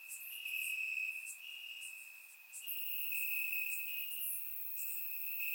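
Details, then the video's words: Night chorus of crickets in summer grass, Bulgaria, on a warm evening; a continuous shrill tone holds beneath overlapping higher pulsed chirps, several insects calling at once, no other sounds. "Cricket Sounds - Crickets Chirping at Night"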